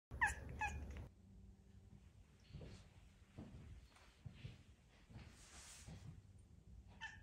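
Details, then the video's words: Charlene, a house cat wanting to be petted, lets out two quick bright meows at the very start, then soft thuds and rustling with a last faint meow at the end. "Sad meow"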